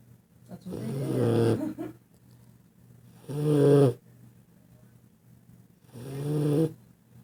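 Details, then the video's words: Puppy or dog asleep and snoring hard, producing three long, rumbling, rattly snores spaced about two and a half seconds apart, separated by soft, quiet breaths. "epic snoring"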